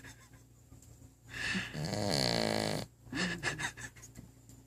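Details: Pet dog dozing with her head against the base of a coffee table, letting out a single drawn-out rattling snore of about a second and a half, framed by softer breathy snuffles before and after.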